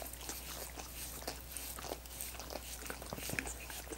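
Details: Coconut water popsicles being licked by dogs: soft slurping smacks about one or two per second, loosely timed, with a faint steady hum beneath and one sharp tick near the end.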